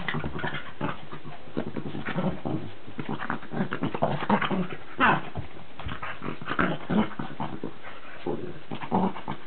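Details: Charlie, a Cavalier King Charles Spaniel, and Billy, a Cairn Terrier, wrestling; steady rough growling and snarling from two dogs, busy with scuffles and short sharp yips.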